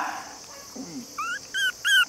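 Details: A 48-day-old male long-haired Chihuahua puppy, cream and white, about 480 g, in Nara, Japan; after soft low rustling, three short high whines follow one another quickly, each louder than the last.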